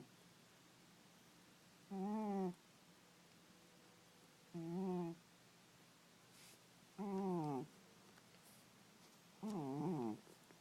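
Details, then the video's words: Domestic cat asleep and snoring: four evenly spaced tonal, slightly warbling breath sounds, each roughly half a second long and about two and a half seconds apart, over a low steady background hum. "Snoring Kitty"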